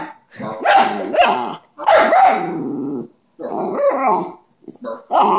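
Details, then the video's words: A pet dog said to be talking: a series of grumbling, speech-like yowls and short barky bursts in four or five uneven phrases with gaps between them. "Dante the talking dog"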